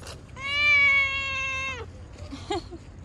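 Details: Cute cat encountered outside letting out one long, loud, level meow of about a second and a half that dips at the end, followed by a soft short mew and faint rustling.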